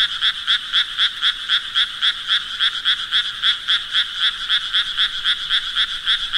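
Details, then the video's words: Brief run of frog croaking: clipped, buzzy pulses spaced evenly at nearly four per second, loud and bright, with a quiet background. "Sounds Of Frogs Croaking"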